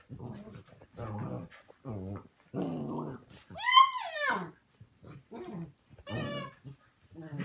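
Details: Morning play among puppies: short, gruff growly grunts alternate with a loud whine that rises then falls near the middle, followed later by another wavering whine, with quiet gaps between.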